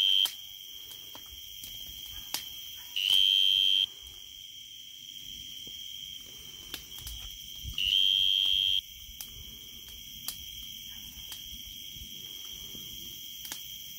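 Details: A tree cricket in summer sings a steady, high, pure-toned trill that never breaks, swelling louder twice.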